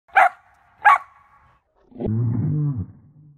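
Two abrupt, punchy barks from a Samoyed, spaced under a second apart, voicing displeasure as its owner says goodbye. A low, drawn-out voiced sound follows after a short pause.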